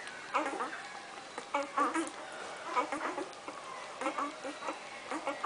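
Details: Irish Wolfhound puppies from Brigit's litter crooning while eating, giving short, wavering, whiny tones among a busy patter of lapping and chewing clicks.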